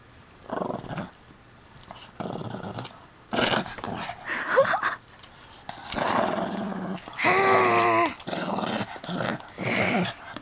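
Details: Indoor recording of puppy Hiro growling to keep his chew toy: repeated gravelly rumbles, some rising into a tonal, whiny snarl near the end. Short spoken bits are heard in between.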